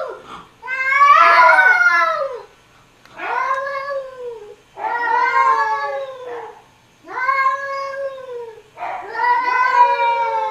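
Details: Arguing house cats exchange five drawn-out, wavering yowls, each lasting one to two seconds and separated by brief silences, the first one harsh and loud.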